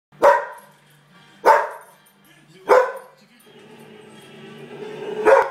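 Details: Pet dog indoors barking at a pug in a Doritos commercial on TV; three loud, sharp barks spaced over a second apart, followed by the television's music and voices rising underneath.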